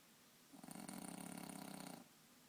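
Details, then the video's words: French bulldog snoring while sleeping sprawled on a bed indoors: one long rasping, pulsing snore about one and a half seconds long, low and rattly with a buzzy upper edge, between quiet breaths. "French bulldog snoring"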